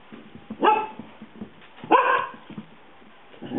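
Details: Dog indoors at play with a cat, giving two short, husky barks about a second and a half apart, with faint rustling and household noise around them.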